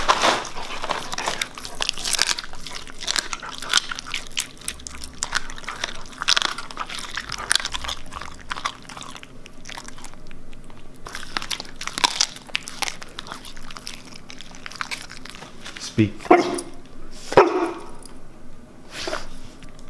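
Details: Raw meat and bone fed as a reward to a Siberian Husky, chewed indoors: heavy repeated crunching and bone grinding, dense at first, then sparser snaps with a few sharp louder cracks near the end.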